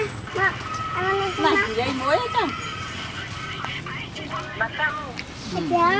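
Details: Young rescued monkey KOTO, frightened when his mother figure leaves him clamped on a tree branch, gives repeated arching, strained cries in quick clusters, some climbing sharply in pitch, over a steady faint background tone.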